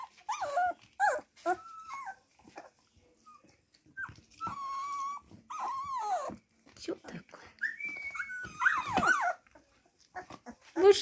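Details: Several Siberian Husky puppies indoors give high, wavering whimpers and whines that rise and fall, in bursts every second or two over about eleven seconds, while people talk nearby.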